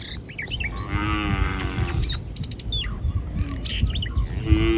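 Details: Roaming village cattle in the street: a moderately loud moo near the start, then a fainter low call later, while many small birds chirp busily throughout.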